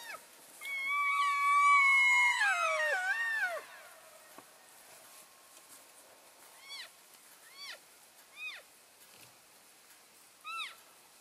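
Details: Elk in a herd on February 3, 2012, keeping in touch while moving between grazing areas: a loud burst of overlapping high, harmonic squealing mews, then scattered short rising chirps from other animals further off.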